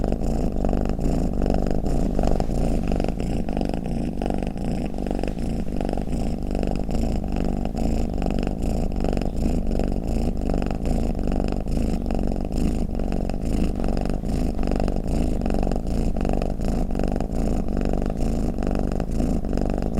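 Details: Cat purring and snoring without a break for twenty seconds: a low, buzzing rumble made of quick regular pulses, the volume unchanging from start to finish, with nothing else audible.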